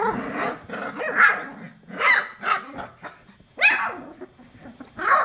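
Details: Young chocolate Labrador Retriever puppies at 24 days old making a near-continuous string of rough, squeaky barks and little growls, about one burst per second, the pups apparently playing together.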